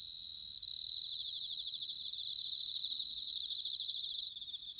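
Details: Bell crickets in autumn, recorded in Sanuki, Chiba, Japan: three loud ringing, bell-like trill phrases, each about a second long and rapidly pulsed, rising over a softer continuous high chorus of other crickets.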